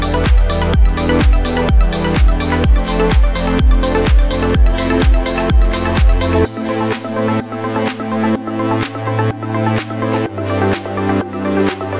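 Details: Loud electronic dance music with a steady thumping beat fills the whole stretch, and no animal voice is heard.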